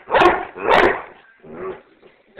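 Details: Pet dog barking on command: two loud, sharp barks about half a second apart, then a softer third bark and the start of another.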